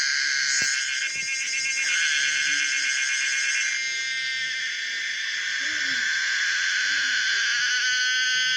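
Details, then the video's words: Song of the common cicada Pomponia linearis: a pulsed, rattling high buzz that smooths into a continuous shrill drone, with faint low chirps from other creatures underneath. "the weird sound of the common cicada pomponia linearis"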